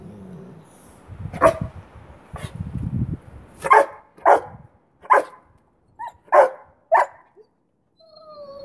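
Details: Boweiler puppy Duke, 9 months old, barking in the face of 3-year-old rottweiler Bear during play over a stick; about six sharp barks in quick succession, with low rumbling and a person's voice nearby.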